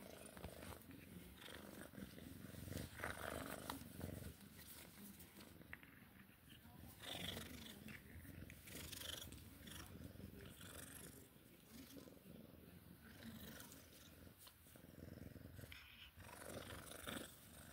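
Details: Sphynx cat at play time, purring as a faint, low, irregular throb, partly masked by rustling, scratching and handling sounds.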